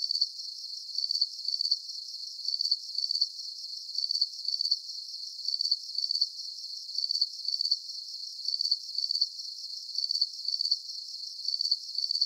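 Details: Crickets chirp in a soothing nature soundscape for sleep. Sharp, high trilled pulses fall in short clusters at a regular pace, with no other animals or background noise.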